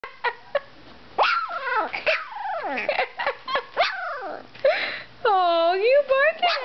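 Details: Two-week-old Dalmatian puppy, indoors, finding its voice with its first barks: high, wavering yelps and squeaky whines in quick bursts, ending in a long drawn-out harmonic wail, with a woman laughing and talking to it.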